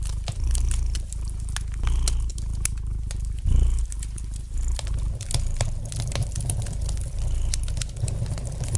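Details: Domestic cat purring gently beside a fire crackling in a fireplace: a deep, steady low rumble swelling with each breath, one louder surge near the middle, and scattered sharp snaps and pops of burning wood throughout.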